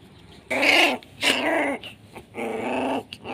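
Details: Aggressive SHERA-bloodline Pit Bull puppy at Nanu pitbull farm letting out three drawn-out, raspy growl-barks, each about half a second long, separated by short pauses over low background hum.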